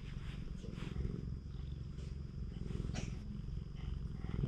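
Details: Petted stray cat on a Japanese cat island purring, a dense low throbbing hum in rhythmic breath swells, with rustling of fur and hands and a few soft taps.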